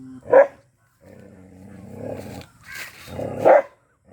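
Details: Black Bhotiya dog gives a sharp bark, rumbles in a low sustained growl, then lets out another harsh bark.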